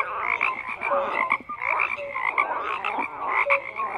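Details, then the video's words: Croaking frogs in a thick chorus, buzzy pulsed calls mixed with short bright chirping notes, pulsing in waves with a brief dip around one and a half seconds. "FROGS CROAKING"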